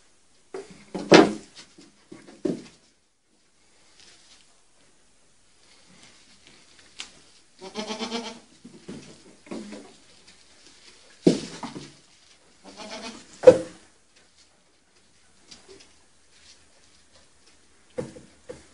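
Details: Goat kids playing on a see-saw: scattered short quavering bleats near one, eight, eleven and thirteen seconds, separated by long near-silent stretches with occasional clicks and knocks.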